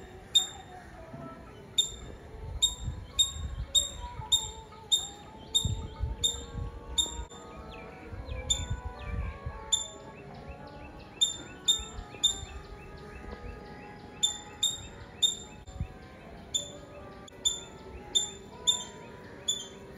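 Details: Long run of rapid, sharp squirrel chirps from Nazareth in Tamil Nadu, India, delivered in bursts of several quick notes with short pauses, over soft wavering tonal background sounds and low rumble.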